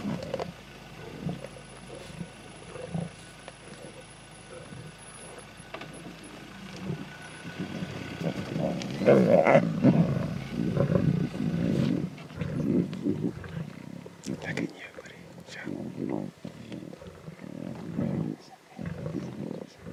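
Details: Lion cubs at a zebra carcass in the Timbavati growl and snarl intensely as they compete for meat. A continuous low, throaty rumble swells to its loudest in the middle, broken by harsher snarling bursts, with faint vehicle noise behind.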